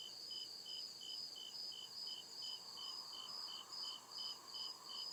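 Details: Cricket chorus from a forest at night: crisp high chirps pulsing about two to three per second alongside a constant shrill tone, soft background hiss swelling midway.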